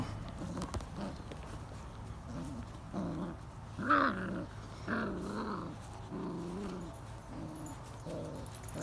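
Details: Forty-day-old AKC Irish Setter puppies from a litter with their mother Penny nearby. Short, tonal whines and low growling yelps come in a loose series, roughly one each second, over a steady low rumble.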